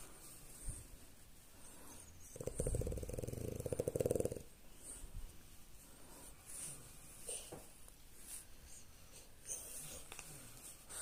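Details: Female French Bulldog named Lady snoring as she lies down for a belly scratch after her morning walk, a daily habit. One loud, rattling, throaty snore lasts about two seconds mid-recording, followed by quieter snuffling breaths in a small room.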